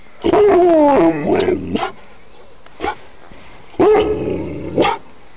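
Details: An Alaskan Malamute gives drawn-out, wavering howl-growls that slide downward in pitch, reacting to ringing church bells.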